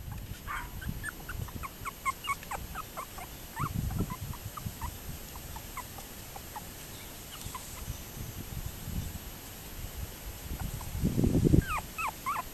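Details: Toy poodles on 30 June 2024 giving a rapid run of short, thin squeaky yips, many notes per second, some rising or falling, mixed with low shuffling and rustling sounds that swell near the end.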